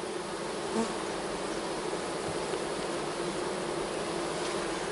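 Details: Steady droning hum of honey bees in an open hive during a fall split, with frames of mostly capped brood and some larvae, the buzz constant and even with faint handling noise.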